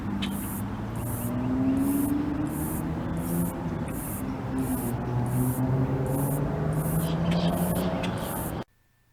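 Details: A greater meadow katydid (Orchelimum, exact species uncertain) in Palm Beach County, Florida, vibrates its wings to make very high, thin buzzy trills, about twice a second, over a low rumble of wind or traffic.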